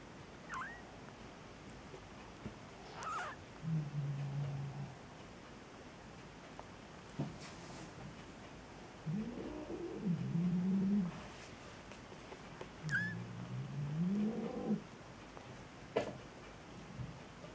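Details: Newborn Maine Coon kittens, aged two days to two weeks, in Saint Petersburg, Russia, give a series of low, wobbling mews at irregular intervals, some rising and falling, with faint clicks and rustling between them.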